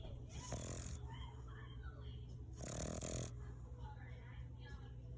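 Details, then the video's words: English Bulldog snoring: two loud, rasping, low breaths, each about three-quarters of a second long and roughly two and a half seconds apart, with softer, fainter breathing sounds between them. "English Bulldog Snoring"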